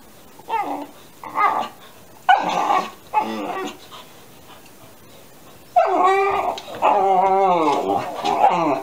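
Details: Young Alaskan Malamute puppies, 13 weeks old, exchanging yowls indoors under chair legs; short separated whiny yelps, a pause, then a long wavering, sliding yowl with rich harmonics.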